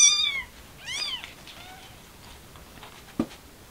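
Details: Mother cat trying to take her kitten outside, a stray; two bright meows in quick succession, then softer faint mews and a sharp knock near the end.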